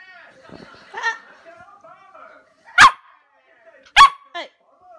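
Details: Meeka, a 12-week-old Samoyed puppy playing on a sofa, gives two sharp, loud barks about a second apart, followed by a short whiny yip, while a person talks softly through the first half.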